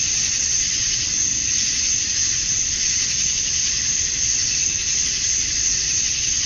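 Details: Summer-night cicada chorus at dusk in Georgia, USA, males calling to attract females; a steady shrill wall of high buzzing, densely layered and nearly uniform throughout, with gentle pulsing and a faint low background hum.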